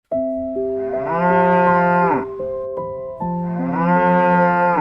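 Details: Cow mooing twice over soft sustained music: each moo is a long, deep, harmonic-rich low bellow that swells and then fades, with a short gap between the calls.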